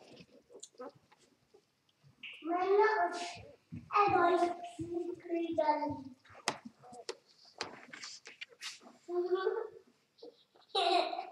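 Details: Newborn Vizsla x Labrador cross puppies, two days old, with a Vizsla mother and Labrador father, give drawn-out wavering wails about a second long, separated by short squeaks and soft shuffling.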